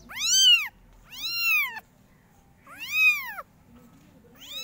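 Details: Kittens among a litter of five meowing very loudly, three full arched mews about a second apart and the start of a fourth, over a soft background hum.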